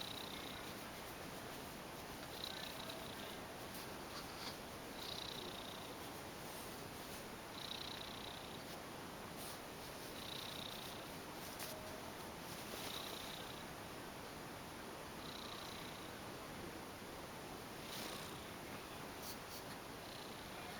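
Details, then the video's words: Hidden beneath bed sheets, Piccolina, an affectionate ex-stray female cat, purrs in a continuous muffled rumble, with breathy surges repeating roughly every two and a half seconds through about twenty seconds. "Weird creature lives under my bed sheets , making rumbling noises !"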